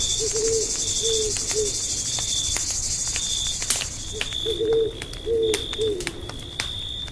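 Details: Crickets chirping through the night at a deep-forest campsite, a constant shrill high trill under popping fire crackles, with two groups of soft, low hooting notes.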